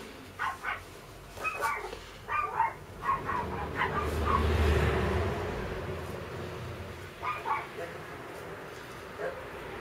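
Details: Sibling Chihuahua puppies give short, high, squeaky yips in quick irregular bursts.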